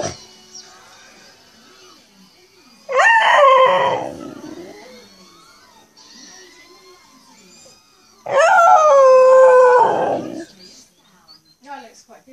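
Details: Pet Cocker Spaniel howling along to R2-D2 beeps and whistles indoors: two long, wavering howls, each lasting about two seconds, the second higher and steadier, with faint electronic chirps between them.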